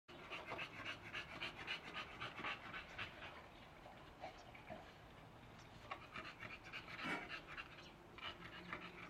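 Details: An American Bully dog panting while out walking: quick, breathy huffs repeating steadily, nearly four per second, across the whole stretch, with no other clear sounds.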